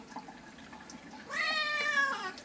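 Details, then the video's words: Domestic cat meowing while being bathed: one drawn-out, harmonic-rich meow of about a second, steady then gently falling, with faint room noise before it. "Cat bathing videos"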